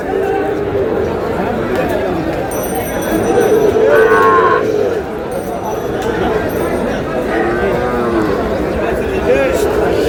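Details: Sahiwal bull calves at a busy market on 7 June, a Comilla farmer buying. One loud, tonal bellow swells in the middle, with fainter lowing and constant human voices haggling around it.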